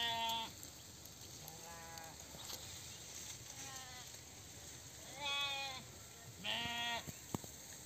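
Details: Five quavering bleats from sheep tended by a herder, spaced one to two seconds apart, the last two loudest, over a hissy, low-level background with a brief sharp click near the end.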